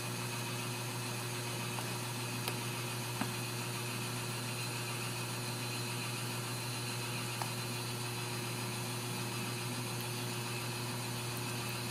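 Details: Steady mechanical hum and hiss like a fan or engine, with a few faint clicks, no animal voice present.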